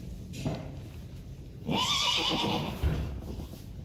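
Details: Friesian horses, foals tied up while the mares are ridden and driven; after a faint early sound comes one strong, wavering whinny of about a second, ending with a dull thud.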